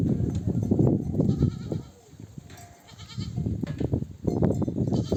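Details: Ewes of a nomadic herd, back from grazing in the desert, bleat for their babies to nurse; quavering calls in two bursts separated by a brief lull, set against heavy low shuffling of many hooves.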